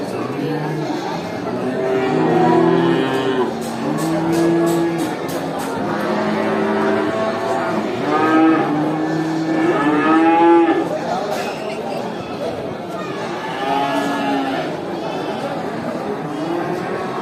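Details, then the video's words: Cows at a traditional animal market: many overlapping moos of varied pitch, several bellowing calls in quick succession, over a noisy crowded background with some music and voices. "Video of cows at a traditional animal market, they make really funny sounds, moo"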